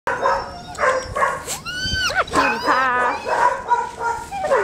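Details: Pet dog, a male called a sweet little boy, whining and yelping in high, sliding, rising-and-falling cries while a person talks affectionately over it.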